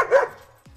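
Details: A 10-month-old double-coated German Shepherd, barking a lot for no known reason, gives a single sharp, mid-pitched bark, followed by a brief faint sweep of background sound.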